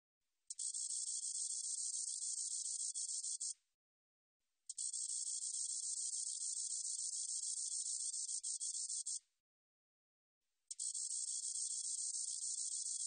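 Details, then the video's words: Spotted katydid (점박이쌕쌔기) from the National Institute of Biological Resources, 2020: three high, steady, sizzling buzzes of roughly three, four and a half and two and a half seconds, each ending sharply before a brief silence. "점박이쌕쌔기, 1번 듣기, 곤충소리"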